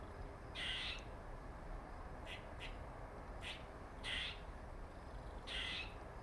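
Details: A male squirrel with a dark mark on its face makes funny noises: four harsh, broadband bursts about half a second long, roughly every 1.5 seconds, with a few faint short clicks between them, over a low steady background rumble.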